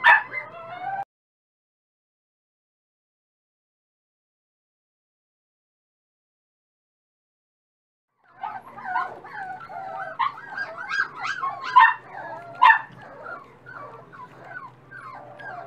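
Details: Dachshund puppies, feeding more each day, squeal briefly, fall silent for several seconds, then return with a busy chorus of high wavering whimpers and yelps.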